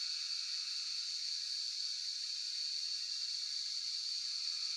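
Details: Cicadas in Shivapuri National Park (Tarkeshwor), Nepal, fill the air with a steady, high, shimmering buzz that never pauses.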